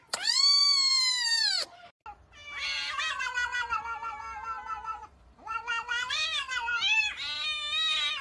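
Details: Domestic cat making a long meow followed by a run of wavering, yowling caterwaul notes that rise and fall irregularly over several seconds, with one short pause partway through, in an indoor setting.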